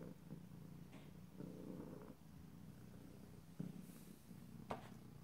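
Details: Pet cat purring softly, a quiet low rumble in breath-length bursts with a few brief clicks and rustles.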